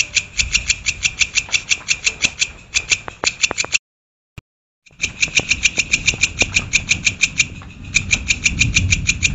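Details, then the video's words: A cricket chirps in rapid, ringing pulses, about three per second, with a brief silent break midway and a low rumble underneath. "SUARA JANGKRIK"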